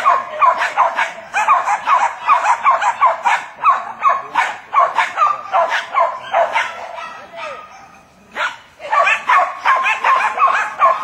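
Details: Several Jack Russell Terriers hunting wild boar bark in fast, fairly steady runs of high yaps, a brief lull near the middle, with a man's shouts of encouragement.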